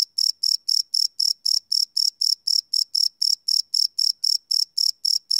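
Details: Crickets chirping at night, recorded live without loops on a Sony PCM D100 field recorder: about twenty evenly spaced, high, pulsing chirps, roughly four per second, in a steady unbroken rhythm with no other sounds.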